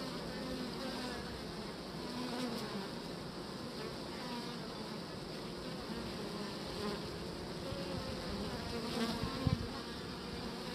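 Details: Honeybees on beeswax comb with a queen present, a steady dense hum of many wings filling the whole recording at an even level, with no other clear sounds.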